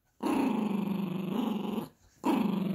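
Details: Yorkshire Terrier puppy at play with a monkey dog toy, giving a long continuous low growl that dips slightly, breaks off briefly for a breath, then resumes just as strongly.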